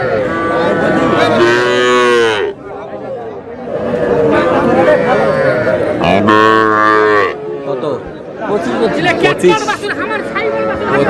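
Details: Cattle, small bulls and heifer calves, at a Dhaka cattle market on 31 March; two long, deep, harmonic-rich moos, each over a second, stand out above a steady background of human chatter and market noise.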